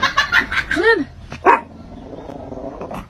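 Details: Domestic cat giving an unusual meow: a single arched, harmonic-rich call that rises then falls, followed by a short, broken squeak and low background noise.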